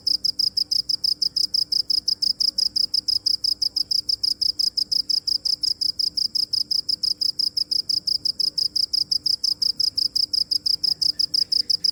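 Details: Continuous cricket chirping, a shrill high-pitched trill of short pulses repeated about five times per second with a very even rhythm, faint steady hum underneath.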